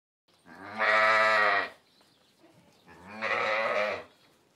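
A sheep gives two drawn-out, wavering bleats, each about a second long, separated by a short pause. No other sounds are heard.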